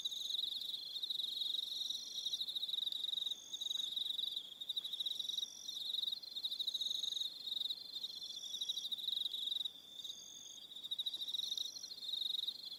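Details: Many crickets trilling through the evening on Aroha Island, New Zealand; a continuous high, rapidly pulsed chorus with overlapping higher-pitched trills that briefly dip in loudness now and then.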